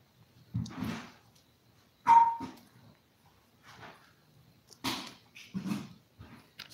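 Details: Five-week-old toy poodle puppies, from a litter of seven filmed live indoors while eating, playing and sleeping, give short yelping bursts separated by quiet gaps. One brief thin whine stands out.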